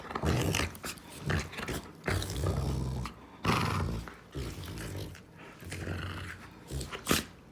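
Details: A female Rottweiler gives deep, throaty growls in uneven surges of about a second each, broken by brief pauses and a few sharp higher-pitched sounds.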